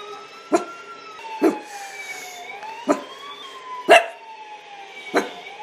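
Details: Dog barking in sharp single barks about once a second, heard over a steady wailing siren that sweeps slowly up and down in the background, from a compilation of funny dog barks.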